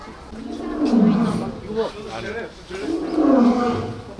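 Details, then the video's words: Captive lion at Cheongju Zoo, South Korea, a second lion running in at its sound: two long, deep moaning roar notes, each swelling and fading over about a second, with a brief lower grunt between them. "바람이 소리에 도도 뛰어들어 가다"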